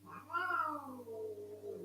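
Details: Older female house cat complaining during a squabble with another cat indoors: one drawn-out, moaning yowl that rises briefly and then slides slowly downward, with a steady low hum underneath.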